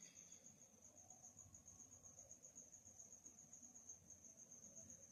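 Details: Cricket chirping at night, heard as a thin, even, high-pitched trill that holds without pause, over quiet low-frequency background noise.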